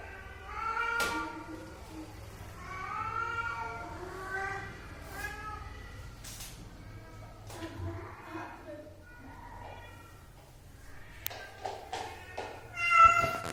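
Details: House cat producing a long series of short wavering meows, some rising and some falling, broken by sharp clicks and knocks, with a louder meow at the close.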